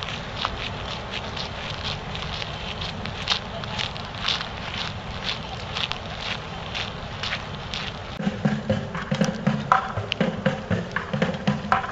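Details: Outdoor city scene with steady traffic-like background, quick footsteps, scattered voices and faint music, with louder clattering movement near the end.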